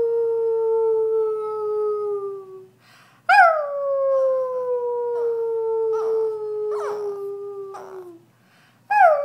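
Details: A Brussels Griffon named Chloe, invited to sing, gives long drawn-out howls that each slide gently downward. Short breathy pauses separate them, and a fresh howl starts sharply at the end.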